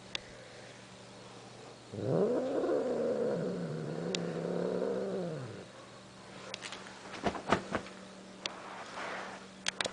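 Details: Blind pet cat Ursula, chased playfully indoors, gives one long, low, moaning yowl lasting about three and a half seconds, its pitch wavering and sliding down at the end, followed by sharp knocks and clicks in a quiet room.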